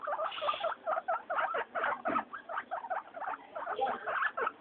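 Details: Pet guinea pigs Mayumi, Archie and Miyuki wheeking during floor time, a steady stream of short squeaky notes repeated several times a second, some rising, with soft pattering between them.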